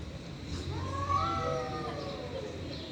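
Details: Stray cats fighting give a drawn-out, wavering yowl that rises and bends over about a second, against a low background rumble.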